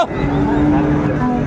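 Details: Friesian or crossbred bull calf at Ambari cattle market, Dinajpur, 19 April 2024: a flat, steady, low moo held for nearly a second amid buyers talking and background market noise.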